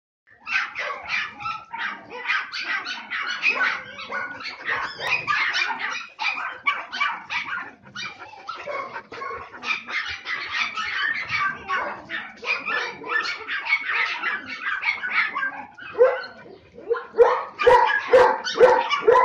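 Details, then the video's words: Samoyed puppies, three and a half months old, yapping in quick high bursts, many short barks and yips overlapping almost continuously with brief pauses. "Щенки самоеда 3,5 месяца"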